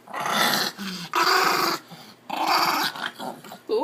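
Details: Angry Chihuahua in a laundry basket, resisting being taken outside and snapping: harsh, noisy growls in three loud bursts with brief gaps, and a man's voice between them.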